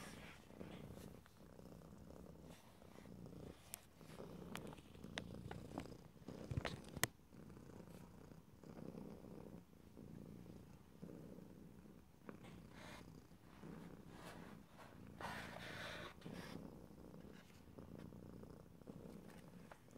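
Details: Pet cat's continuous low purr recorded close in stereo, the rumble pulsing in long breath cycles, broken by occasional sharp clicks and soft rustles, with a brief airy hiss around the three-quarter mark.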